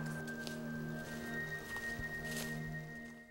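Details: Steady droning musical tones with a few soft clicks and squishy noises, and no animal voice.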